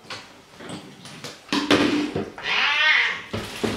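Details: Pet cat protesting during a bath and hair trim indoors. Splashing and handling noises come first, then a long, wavering meow near the end.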